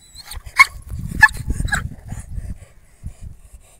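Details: Male German Shepherd in Mirzapur giving three short, sharp, yelping barks within the first two seconds, each a bright harmonic burst, followed by quieter scattered sounds over a steady low rumble of background noise.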